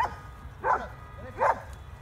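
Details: Border Collies during training commands in Spanish: two short, sharp barks about three-quarters of a second apart, over a steady low rumble of background noise.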